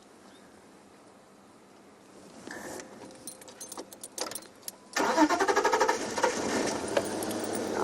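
A vehicle engine turns over and starts, then idles with clattering and faint jangling, with no animal calls.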